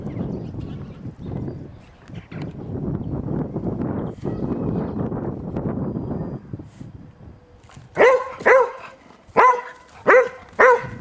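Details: Eleven-year-old springer spaniel playing outdoors in fresh snow after a recent snowfall: several seconds of crunching, rustling movement, then five sharp, loud barks in the last three seconds, spaced about half a second to a second apart.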